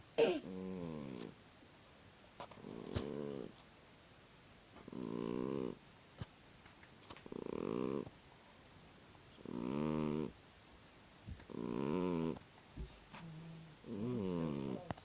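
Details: Sleeping house cat snoring loudly, rasping harmonic breaths repeated about every two seconds, seven snores in a row with rich layered overtones and a quiet room between breaths.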